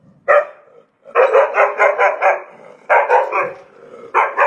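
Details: Domestic dog giving a single sharp bark, then fast runs of five or six barks in quick succession, separated by brief gaps.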